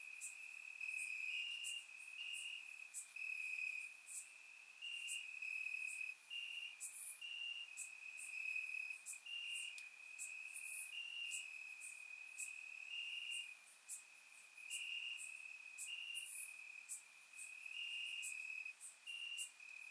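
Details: Warm summer night in Bulgaria with crickets calling from the grass: continuous shrill trilling broken into short repeated bursts, several callers layered, plus sporadic sharp high clicks, recorded in surround sound.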